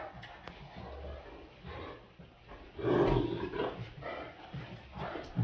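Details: Playing Great Danes produce low rumbling growls and a louder gruff burst near the middle, sounds rising and falling irregularly in a small room, with light background talk.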